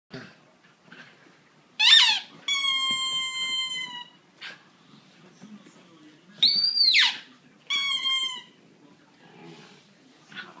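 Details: Italian Greyhound indoors singing, short high whining slides broken by two sustained clear howled notes with bright overtones, separated by quiet pauses.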